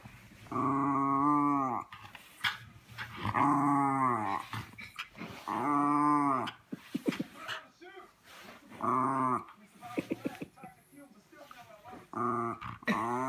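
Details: A female Miniature Schnauzer fooling around with her owner, something she does all the time, gives drawn-out, arching, howl-like 'talking' calls with rumbling growly notes between them.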